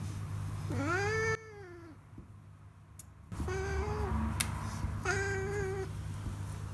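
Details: Domestic cat meowing happily while stroked and sunbathing, raising its rear; three drawn-out meows with rich harmonics, the first rising then falling, the later two shorter and level, over a steady low hum.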